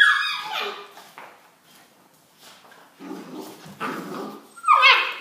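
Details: Rhodesian Ridgeback puppies chasing each other indoors; a high, squealing yelp sweeps downward at the start, scattered scuffling and soft whines follow, and a second sharp yelp comes near the end.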